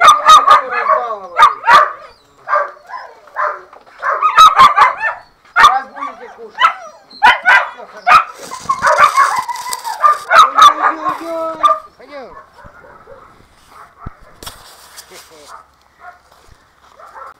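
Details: German Shorthaired Pointer puppies during their upbringing and training: a rapid, busy run of high yelps, whines and short barks, closely packed for about twelve seconds, then thinning to scattered quieter whimpers, with a human voice at times.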